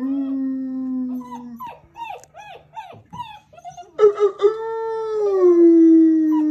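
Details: Post-breakfast chorus from German Shepherd puppies, recorded 21 January 2022 after a person started howling. A low held tone gives way to broken, rising-falling puppy yowls, then one long smooth howl swells and slowly drops in pitch.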